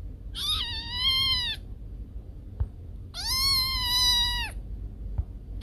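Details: Domestic cat, its sound said to scare off rats, gives two long, steady, high meows about three seconds apart, each held over a second and ending with a slight fall, with a faint background hum.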